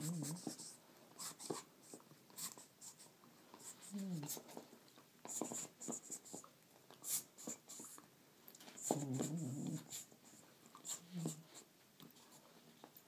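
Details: Holly, a female Border Collie, gives low, throaty grumbles and short moaning whines while playing with a toy, as she always does with it, with clicks and scuffs of the toy.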